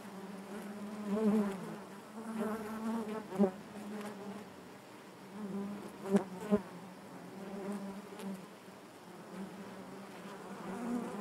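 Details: A hive full of honey bees hums with a constant low drone, swelling gently in places, with several crisp taps or knocks standing out above the buzz.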